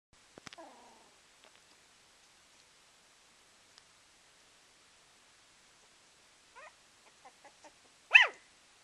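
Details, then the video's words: Puppy giving a few soft, high whiny yelps: a short arched cry near the start, a run of faint squeaks, then one louder rising-and-falling yip at the end, with long quiet gaps between. "Puppy making adorable noises"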